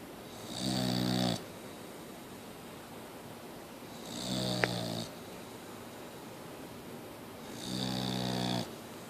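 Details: Mia, a Boxer dog, snoring: three rasping, harmonic snores roughly every three and a half seconds, each lasting under a second with a bright hiss on top, separated by quiet breathing in a small room.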